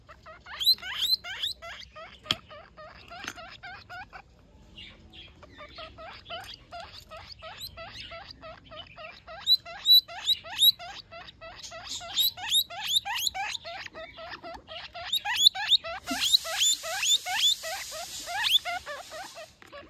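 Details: Young guinea pig calling for its mother, giving fast trains of high, squeaky rising chirps, roughly two to three per second, with a brief pause near five seconds and a short hiss of rustling near the end.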